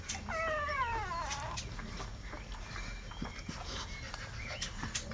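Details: Young American Staffordshire Terrier puppy, one of Kira and Spike's litter born 27 April 2008, lets out a clear, drawn-out whine that slides downward in pitch, followed by faint softer squeaks and a background hum.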